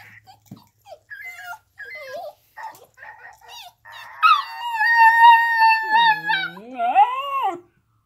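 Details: Two Alaskan Klee Kai dogs in a howling session: short yips and whines build up into a sustained, wavering howl held for about three seconds, then a final bending, falling howl.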